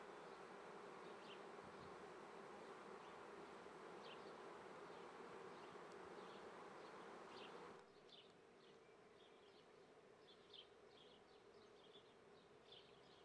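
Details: Honey bees at an apiary in Treviso, Italy, on 22 May 2010 at 9:30 am, during May swarming season: a dense, steady humming drone that drops in loudness after about eight seconds, with short bird chirps scattered above it.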